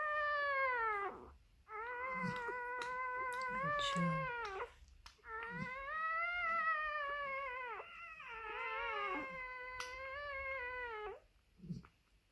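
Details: Newborn Maremma Sheepdog puppy at birth, crying in long, drawn-out, harmonic wails that rise and then sag in pitch, three main cries with brief breaks, indoors.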